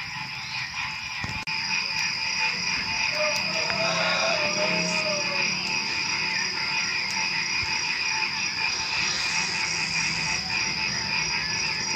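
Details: Frogs croaking in the predawn night, a continuous rhythmic chorus of quick repeated notes under a persistent high-pitched insect whine, with one brief click early on.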